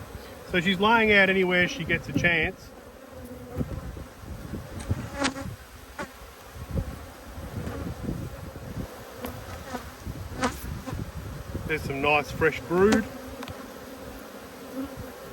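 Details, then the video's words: Honey bees from two hives angry at being inspected, March 2022: a steady low droning hum with scattered sharp buzzes of passing bees, broken at the start and near the end by a man talking. "When Bees Go Wild - Inspecting Two Angry Hives"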